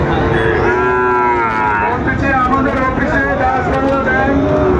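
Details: Sahiwal cattle at a crowded cattle market on 13 February 2025, a young Sahiwal bull on sale: deep bellowing moos that waver and bend in pitch, overlapping other lowing cattle and steady human voices.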